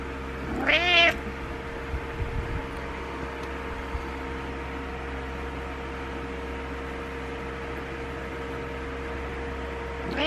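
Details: Butters, a pet cat wanting attention, gives one loud harmonic meow that rises and then falls near the start. A steady electrical hum runs under the rest of the recording indoors.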